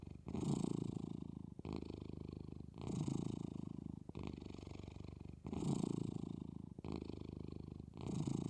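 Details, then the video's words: Sleeping Maine Coon, eyes half open, purrs gently; deep continuous rumble alternating between louder and quieter phases with each breath, close and steady. "Gentle Purrs of Daisy: Sleeping with Eyes Half Open and Her Engine On"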